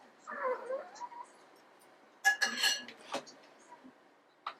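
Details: Long-coat Chihuahua begging for its owner's food, giving a short rising and falling whine, followed by clinking and handling noises and a brief word from a person.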